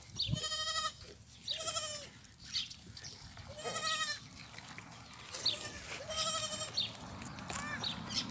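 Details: Young goat kids, rejected by their mothers and bottle-fed, give loud quavering harmonic bleats. About five main cries come every one to two seconds over a steady background hiss, with softer bleats in between.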